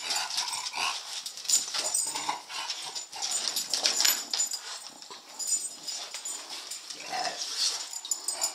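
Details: Two English Bulldogs, Winnie and Petey, chase an elusive laser light across the floor indoors. Loud breathy snorts and huffs come in quick irregular bursts, with a few low growly grunts and scrabbling noises between them.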